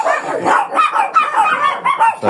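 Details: Fierce Shih Tzu that reportedly can no longer be handled, barking before grooming near a beach: a fast run of sharp, yappy barks, roughly three a second, with little pause between them.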